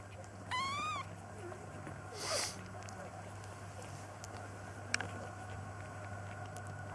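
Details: Young kittens, nearly three weeks old, being fostered and peeking out of a basket; one high, rising-then-falling mew near the start, then a brief broadband rustle and a click, over a steady low hum.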